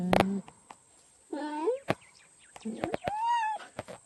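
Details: A cheetah voices several chirping calls, the first rising and wavering and the last arched and held, with scattered clicks and taps around them.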